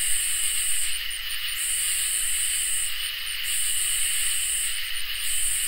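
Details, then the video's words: Crickets and katydids on a summer night: a steady, shrill ringing drone runs throughout, overlaid by very high buzzy bursts lasting about a second, separated by brief pauses. "Crickets and Katydids in Summer | Ambient Night Chorus"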